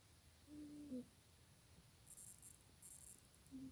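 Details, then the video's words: Janet the cat sleeps and snores, giving a short nasal whistle that dips at its end, then another starting as the clip closes; faint high ticking bursts in between. "Janet The Cat Snoring | Janet ngorok"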